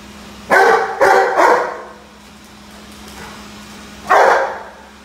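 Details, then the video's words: Rhodesian Ridgeback barking at a running vacuum cleaner indoors: three deep, harsh barks in quick succession, a pause, then one more, over the steady hum of the vacuum. "Rhodesian Ridgeback (Roady vs Vacuum)"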